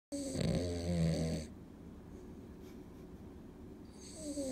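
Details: Cavalier King Charles Spaniel named An, sleeping deeply on a weekday, gives a loud throaty snort with a tonal edge, then settles into soft low rasping breaths in a quiet indoor room.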